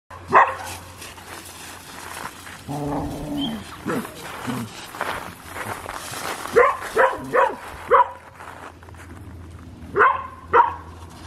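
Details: Collie named Louise barking during a chasing game, dated 23 June 2021: loud, sharp barks in a cluster around 6.5 to 8 seconds and again near 10 to 11 seconds, with an early bark, some growly lower sounds in between, and a steady low hum.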